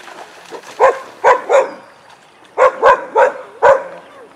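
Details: Weizsla dogs Biscuit and Jericho during a playtime session in a den. Seven short, sharp barks come in two bursts, three then four, each a quick mid-pitched yap with a brief pause between them.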